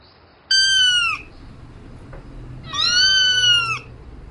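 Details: Domestic cat calling for a mate at night: two drawn-out, high, slightly falling meows, the first short, the second longer after a quiet gap, over a faint low hum.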